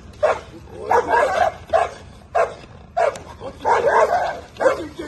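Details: Bull Terrier doing table work during training with a handler; short harsh barks come in quick bursts, roughly eight in five seconds, mixed with a man's voice repeatedly praising the dog.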